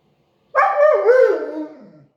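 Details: A Siberian Husky's "talking" vocalization lasting about one and a half seconds, a wavering, yodel-like howl that bends down then up in pitch before fading; quiet surroundings with no other sounds.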